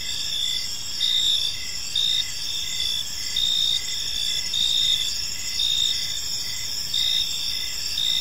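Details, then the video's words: Several crickets calling at evening in a park; a shrill sustained buzz sits above rows of brief chirps pulsing roughly every half second, with the loudness swelling and easing in slow waves. "Cricket Sounds in a Peaceful Park"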